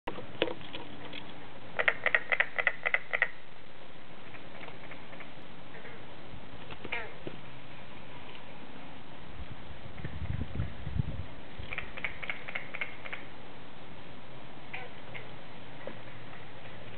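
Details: Carpenter frog (Lithobates virgatipes) advertisement call: quick runs of sharp knocking notes like distant hammering over a low rumble, with green frogs also calling, near a cabin in Bass River State Forest, New Gretna, New Jersey, 27 May 2012.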